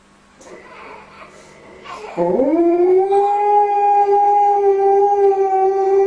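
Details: Pet dog singing to a baby to stop it crying: after two quiet seconds, a sudden scooping rise into one long, steady, tonal howl that holds its pitch to the end.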